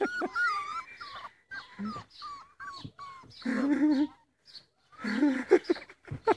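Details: Playful Rhodesian Ridgeback puppies: high, thin whines and squeaky yelps in short bursts, sliding up and down, some quavering, with a louder whimpering stretch midway and people talking over the play.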